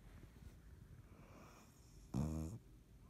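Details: A cat called Dottie, asleep and snoring on 3.17.19: low background breathing, then a single short, loud, buzzy harmonic snore lasting under half a second.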